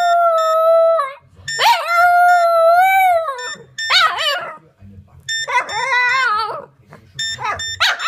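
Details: Pet Boston Terrier howling along with a phone's ringing tones: long, wavering, mid-pitched howls that bend up and down, broken by short pauses, while steady electronic phone tones sound underneath.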